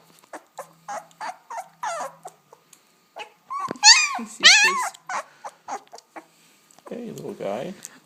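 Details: German Shepherd puppy, two weeks old, one of ten born in August 2012 in Chestermere, Alberta; quick ticking handling sounds lead into two loud, wavering squealing cries, then a softer whine as a person talks quietly.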